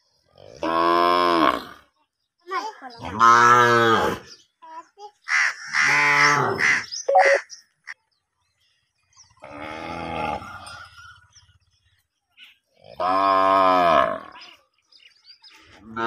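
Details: A cow grazing grass in a field gives a series of long, deep, harmonic moos, each lasting one to two seconds.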